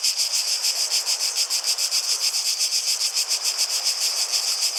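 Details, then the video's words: Cicadas in a chorus, a dense buzzing drone concentrated in high pitches, pulsing rapidly about three to four times per second with a steady, unbroken intensity. "Relaxing Sounds of Cicadas"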